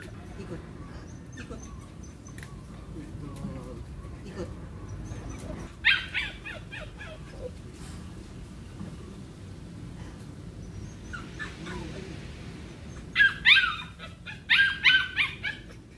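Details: Hunter, a Belgian Malinois, during cone training; high-pitched, yelping barks come in short bursts, one brief flurry early on and a tighter cluster of several sharp yips near the end, over a steady low background rumble.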